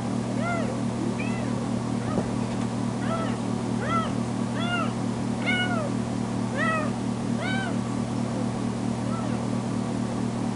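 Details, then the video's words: Foster kitten Tamera, a female just back from being spayed at the vet, meows loudly whenever left alone in the bedroom; rapid run of clear, rising-falling cries, several per second-pair, over a steady low mechanical hum. "Poor Tamera Crying For Me"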